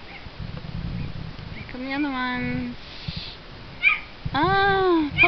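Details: Playing Miniature Schnauzer puppies give two drawn-out, slightly falling whining cries with a brief squeak between them, after soft human voices.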